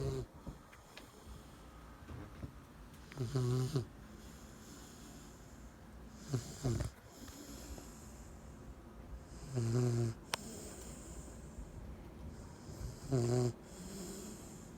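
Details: Ten-week-old Cane Corso puppy snoring in its sleep: low, harmonic rasping snores, each about half a second, recurring roughly every three seconds over a steady quiet background hum.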